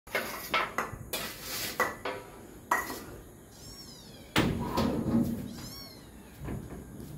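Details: Cats at dinner indoors in a Bangladeshi home: two thin, high-pitched kitten mews, each sliding downward, between loud clattering knocks of dishes and cupboard doors, with a woman speaking Bengali.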